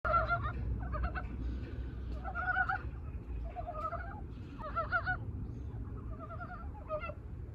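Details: Korean brown frogs newly awake from hibernation give their love call: short, husky, clucking croaks, each a rapid pulsed burst, repeated in overlapping bouts from several frogs, with a steady low rumble beneath.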